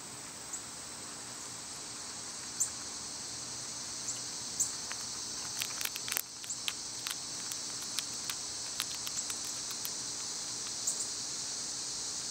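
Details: Summer cicada chorus forming a continuous shrill buzzing wash, overlaid by scattered sharp clicks and taps that cluster toward the middle.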